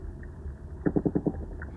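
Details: Barramundi underwater, one of the sounds scientists hear on the deep sea floor: a quick series of five low, knocking grunt pulses, evenly spaced and lasting about half a second, against a dull rumbling background.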